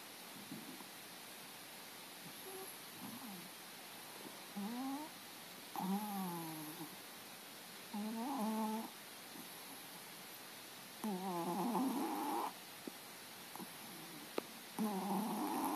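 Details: Snowball, a pet cat napping on the couch, snoring as it usually does: roughly second-long breathy, voiced snores with squeaky tonal edges, returning about every three seconds in a quiet room.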